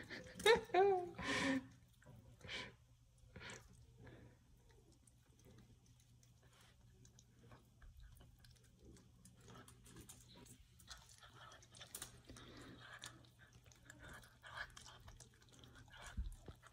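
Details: A pet African serval gives a few loud, wavering meows begging for quail in October 2023, then chews noisily.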